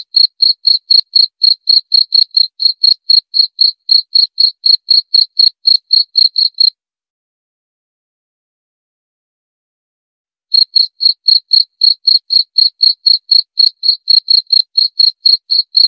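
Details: Cricket chirping, offered for insomnia relief and for driving away rats: clear high pulses, about four per second, in a steady run, then roughly four seconds of silence before the chirping resumes.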